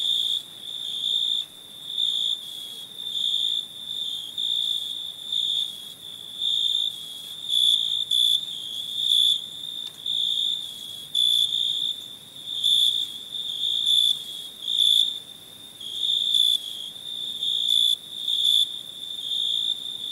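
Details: Crickets chirping at night, loud and close: shrill, clear chirp bursts with ringing overtones, repeated in pulsed groups roughly every second, over a faint higher background trill.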